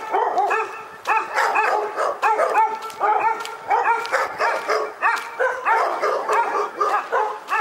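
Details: Dog in Pyrga barking steadily, loud harmonic barks repeated about twice a second with no pause across the whole stretch.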